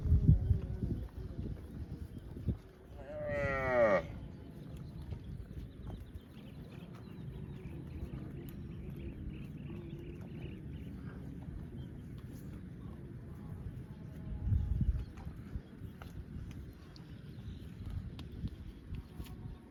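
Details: Cow giving a single drawn-out, harmonically rich moo lasting about a second, rising then falling in pitch near the start. Afterwards only a low rumbling background, with dull thumps at the very beginning and again around fifteen seconds.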